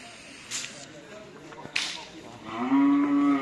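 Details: Cattle at karapan sapi (bull race) training on the Asemanis field in Pamekasan. Two sharp cracks come early, then a loud, steady, low moo swells over the last second, with background chatter.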